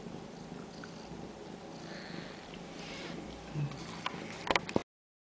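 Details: Ragdoll kittens raised indoors at a central Kansas cattery purr in a low, unbroken rumble, followed near the end by a brief burst of sharp clicks and taps before stopping.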